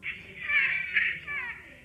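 A domestic rabbit gives a piercing, high-pitched scream that wavers and swells for nearly two seconds, much like an infant's cry. Rabbits make this sound only when in unbearable pain or extremely frightened.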